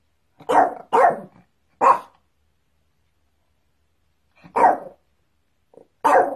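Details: Barking dog in a copyright-free sound set: three quick harsh barks in a burst, a pause of over two seconds, then two more loud rough barks, the last preceded by a soft short yip; otherwise silent.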